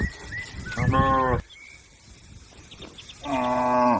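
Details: Cattle summoning companions to return to the pen: two loud, buzzy moos about two seconds apart, each roughly half a second to a second long, separated by quiet with faint bird notes.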